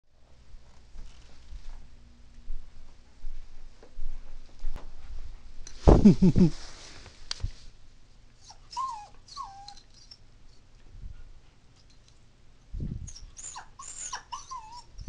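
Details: Marky, a female toy poodle born in 2003, gives short, wavering whines and howls when her owner's parents leave the house, crying as if they might not return.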